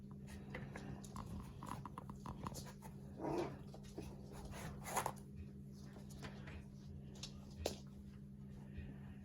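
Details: Havanese puppies from a litter indoors, giving a few soft, short whimpers, one rising to a brief higher whine, over a steady low electrical hum with faint rustling between.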